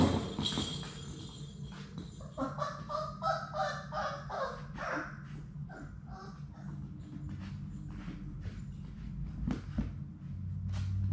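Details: Six Labrador Retriever puppies from Sadie's litter at play in their puppy play room give a run of nasal, honk-like whining yelps in the middle stretch, with scattered clicks and thumps over a steady low indoor hum.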